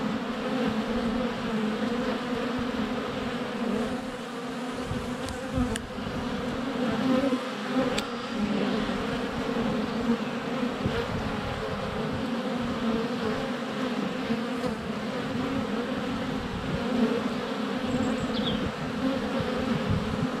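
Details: Close recording at a honey bee hive entrance in February sunshine, camera under a foot away amid flying bees: unbroken humming drone throughout with occasional clicks and knocks as bees land on the GoPro, a faint distant bird call.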